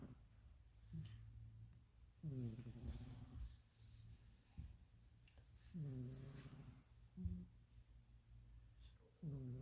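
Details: Sleeping domestic cat snoring loudly, described as like a person: low, throaty, buzzing snores swelling on each breath at about 2, 6 and 9.5 seconds, with softer breathing rasps between them in a quiet indoor setting.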